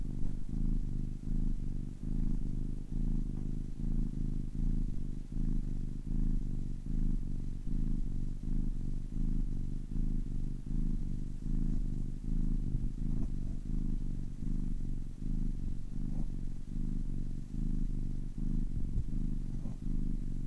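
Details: Kitten aged ten weeks purring at length: a soft rumbling buzz in steady rhythmic pulses, about 77 per minute, even and unbroken over twenty seconds with no other noise.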